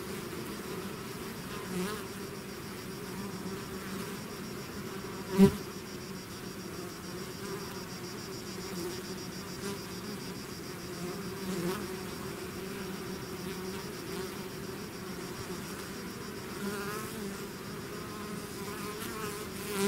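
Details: Bees swarming out of their hive produce an even low drone of many wings, fairly steady throughout, with one sharp click near the middle and occasional close fly-bys.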